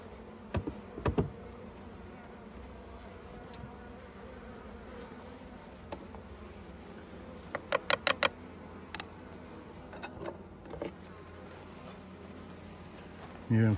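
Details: Honey bees at a hive opened to take honey, giving a steady low droning hum with scattered sharp taps and clicks throughout, a quick burst of clicks near the middle, and a louder knock at the end.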